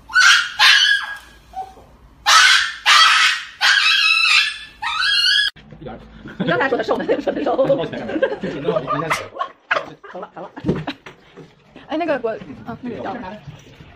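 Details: A dog cries on its way to an injection, giving loud, strained wailing bursts in quick succession over the first five seconds, each with a bright, harmonic, honk-like tone. Human voices take over and continue through the rest of the recording.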